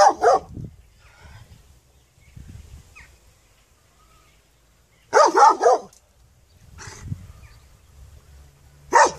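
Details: Scattered dog barks: a single bark, a tight double-bark burst after a quiet stretch, another faint one, and a final bark, over soft low background noise.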